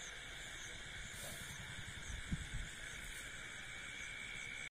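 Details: A steady night chorus of insects at a paddy field, a continuous high buzzing trill layered at several pitches.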